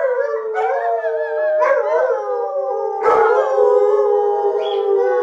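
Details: Three pet Alaskan Malamute sled dogs howling together: dense chorus of high, sustained howls with sliding, wavering pitches and a few sharp yelping onsets, loud and continuous throughout.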